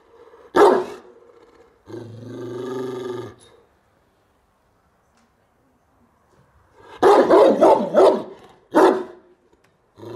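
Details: Bucovina Shepherd Dog recorded at Horodnic de Sus on 30 September 2017: single loud harsh bark, a sustained low growl-like tonal sound, then a rapid burst of four barks and one more bark.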